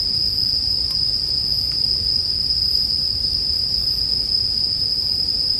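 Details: Bell crickets keep up one unwavering high ringing tone, set against a gentle campfire murmur with a couple of light crackling pops near the start, arranged as relaxing sleep sound.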